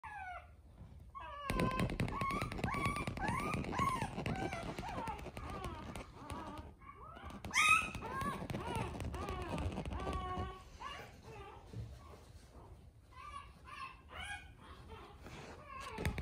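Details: A black male pug puppy gives high, wavering whines in short, repeated arcs over a noisy indoor background; Pug.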